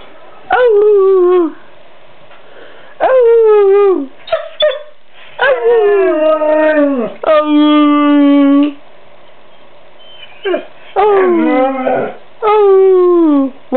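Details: A vocal 11-month-old white male Siberian Husky pet argues back at its owner with long, drawn-out, wavering howl-like talking. About six loud harmonic wails slide down in pitch, separated by brief pauses, with a few short yips in between.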